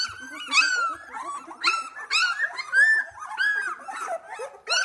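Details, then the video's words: Two-week-old Australian Labradoodle puppies at play, just beginning to open their eyes: drawn-out high squeals and whines stand out above a bed of lower grumbling and muttering from littermates, calls coming in bursts about every second. "Whinney's Australian Labradoodle puppies - 2 weeks old"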